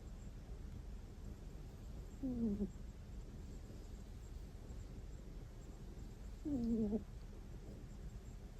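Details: Domestic cat snoring in its sleep indoors: two brief high, nasal squeaks, each gliding down in pitch, spaced about four seconds apart over a low steady background hum.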